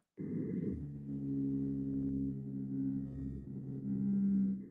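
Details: Blue whale (Balaenoptera musculus), vocalization.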